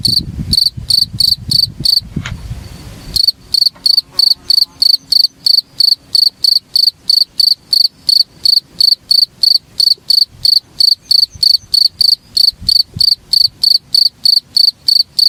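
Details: Cricket (jangkrik) chirping on a masteran recording meant for training Oriental magpie-robins; shrill, high-pitched chirps repeated about three times a second. A brief burst of low rumbling noise comes near the start.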